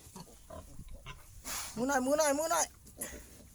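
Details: Wild boar family of father, mother and young, resting: one drawn-out, wavering, harmonic squeal lasting under a second, with a man talking softly before and after.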